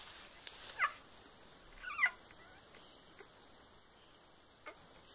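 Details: Newborn kittens of a litter born 13 May 2015, recorded on their day of birth: two short, thin mewing calls about a second apart, each slightly falling in pitch, over a quiet hiss with faint soft clicks.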